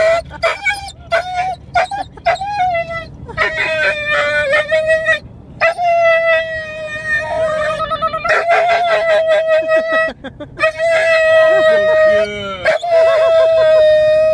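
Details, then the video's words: Aura, a female Huntaway, eager for a walk and play, gives a run of short yips, then drawn-out, level, moaning howls of a second or more, broken by brief gaps and occasional rapid wavering notes. "Huntaway Aura wants to go for a walk and play with her fris"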